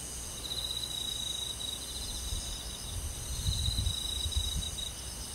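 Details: Crickets chirping among forest insects on a summer night, a constant bright ringing overlaid by two stretches of pulsing trills, with low rumbling noise swelling toward the end.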